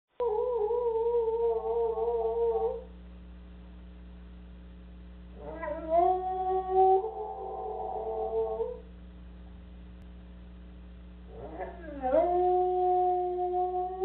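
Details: Soft Coated Wheaten Terrier pet dog howling while its owners are away: three long, wavering tonal howls with rich harmonics, the last rising from a dip, separated by quiet gaps, over a steady low hum.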